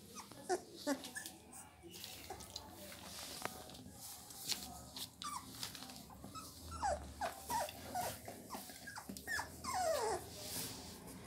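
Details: Heavy-bone Labrador Retriever puppies indoors give short high whimpers and squeaky yelps, some sliding downward, scattered through the recording among rustling and handling noises.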